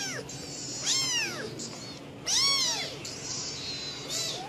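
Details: Angry domestic cat giving bizarre, feisty calls: three loud arched meows, each rising then falling with stacked harmonics, spaced about one and a half seconds apart over steady background hiss.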